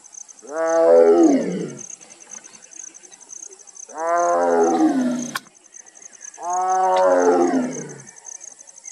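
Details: A tigress (Panthera tigris) in Nagarhole Tiger Reserve, India, gives a calling roar: three long, moaning roars, each swelling and then falling away, spaced a few seconds apart.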